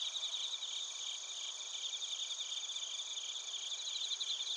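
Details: Crickets and bell crickets from Narita, Chiba, Japan, on a TASCAM Portacapture X8 recorder: shrill layered chirping in quick irregular pulses, several insects overlapping in a dense high chorus.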